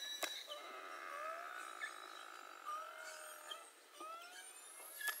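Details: Beluga whales recorded underwater for research into mother-calf communication, where calves depend on acoustic contact: several overlapping long, steady whistles with gently rising and falling glides, broken by sharp broadband clicks.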